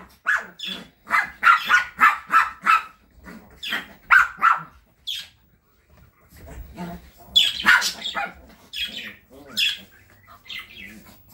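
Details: London, a Chihuahua from the Kastropulo Crimea kennel living in Saratov, gives a quick burst of shrill yaps. A quieter gap follows, then a few more scattered high barks.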